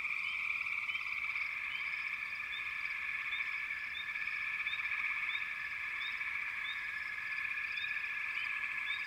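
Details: Frogs calling together in a backwater chorus, a constant buzzing trill layered with regular short rising chirps about every half second to second, loud and even from start to end.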